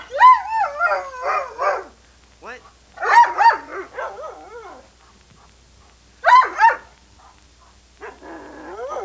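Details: Female Irish Setter, daughter of an older setter, recorded in 1987 and known for liking to talk, answers people with wavering, whining, yodel-like vocal phrases in several bursts separated by pauses, with a person speaking nearby.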